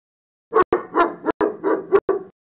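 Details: Dog barking in a rapid run of about seven short, tonal, mid-pitched barks packed into under two seconds, each cut off abruptly, with no other sounds behind them.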